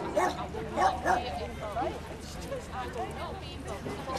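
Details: Tibetan Mastiff pups at the Leeds Ch show, an indoor dog show, giving short high yips and whiny barks in quick uneven bursts, with people talking close by throughout.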